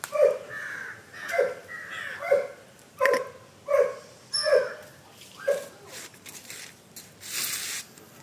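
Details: A German Shepherd barking while playing in a backyard. About seven short, sharp barks come at a fairly even pace, roughly one every second, then fade, with a brief burst of noise near the end.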